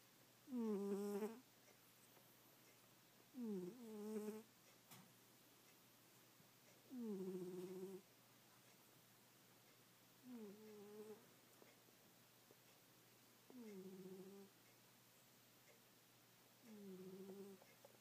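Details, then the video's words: Pet cat snoring while asleep; six brief, squeaky snores with a rising-then-falling tone, roughly every three seconds, over a soft steady hiss. "Snoring Goldie"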